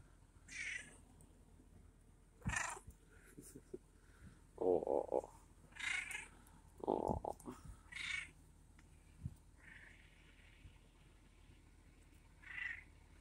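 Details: A feral male cat, hungry, meows loudly at breakfast time. A series of long, wavering and some nasal, strained meows repeats roughly every one to two seconds, with quiet pauses between them.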